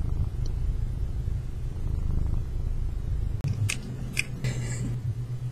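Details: Pet tomcat purring in a continuous deep, throbbing drone recorded close, broken only by a few faint clicks and small rustling sounds toward the end.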